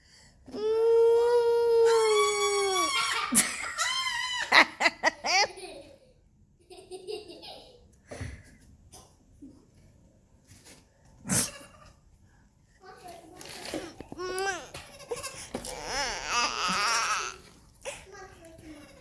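Nigerian Dwarf goat kids let out strong, nasal bleats, one held and wavering, then a run of short choppy calls. A final quavering cry follows, and a few soft human voices are heard in between.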